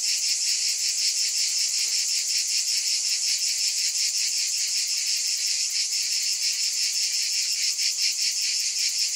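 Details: An unbroken wall of cicada buzz, bright and piercing, pulsing steadily several times per second from start to finish.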